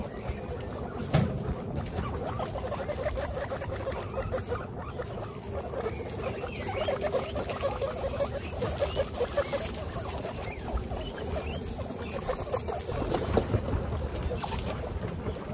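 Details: Household group of 26 female pet guinea pigs: low, rapid chuttering pulses run continuously and overlap one another, with a few louder knocks and bumps of movement breaking through.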